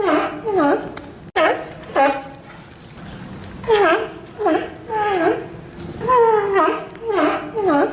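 Sea lions give loud, hoarse, honking barks in quick, overlapping bursts.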